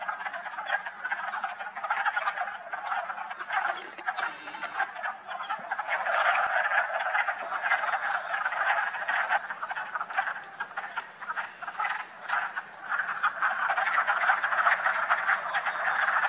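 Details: A dense spring chorus of wood frogs at a vernal pool in a Massachusetts park on March 14, 2024: a continuous clucking, duck-like chatter from many overlapping callers.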